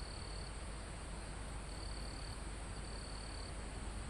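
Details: Crickets near the top of a forested mountain give three high, steady trills, each about half a second to a second long, over a rumbling wind blowing through the leaves.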